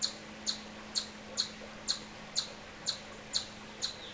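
An Eastern chipmunk gives sharp, high chips, repeated steadily about twice a second.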